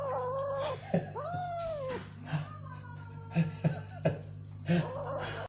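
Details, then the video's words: Kitten calling while it eats, giving a run of arched, wavering mews and short chirpy cries, with soft clicks and a constant low electrical hum behind. "Adorable babycat makes funny noises while eating."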